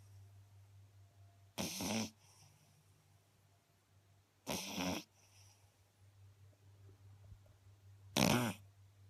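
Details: Sleeping Beagle puppy, an eight-week-old female, gives loud rasping snores: three broad noisy bursts roughly three seconds apart, the last one the strongest, over a faint constant low hum.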